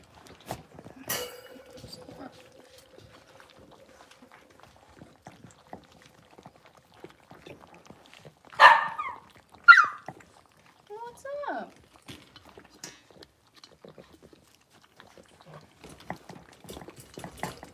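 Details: Six-week-old Blenheim Cavalier King Charles Spaniel puppies from a litter of five in a home puppy pen give two quick sharp yips, then a short falling whine, amid soft rustling and a brief human voice.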